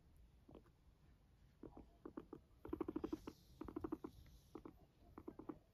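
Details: Pet guinea pig named Max, kept indoors, making bursts of short, low, buzzy pulses in uneven clusters, a few quick notes at a time with brief pauses between; quiet room background.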